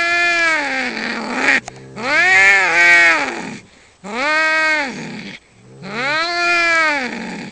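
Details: Domestic cats in a fight exchange loud, moaning caterwauls, each swelling upward then sliding down over about one and a half seconds, repeated four times with short pauses.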